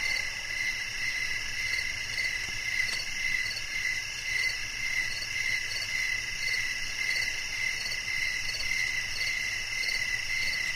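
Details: Crickets chirping at night as nature sounds for sleep and relaxation: steady high pulsed chirps repeating roughly twice per second over a constant insect chorus, with a faint low hum beneath.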